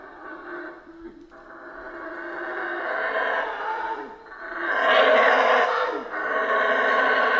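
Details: Howler monkeys roar in Central American rainforest, the sound building from a low rumbling hum into a loud, gravelly, sustained howl that swells, dips briefly and surges again.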